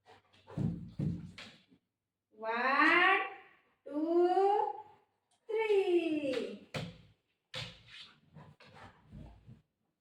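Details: Golden Retriever Buzo answering his mum's talk of leaving him: three long, wavering, moan-like whines sweeping up and down, mixed with a woman's speech and thumps indoors.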